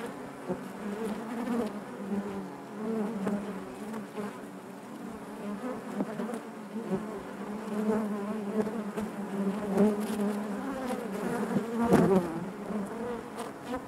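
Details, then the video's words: Honey bees buzzing within the hive, a thick, even hum of overlapping wingbeats that gently rises and falls throughout, dotted with faint clicks and a brief louder buzz near the end. "bees therapy hive natural buzzing sound"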